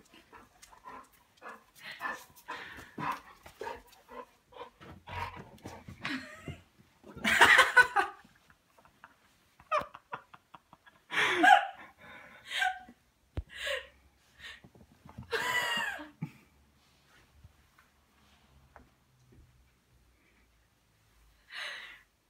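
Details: A 9-month-old female Golden Retriever gives short, rough barks and grumbling noises in bursts while fighting with a cat over her bed, as a person talks in German.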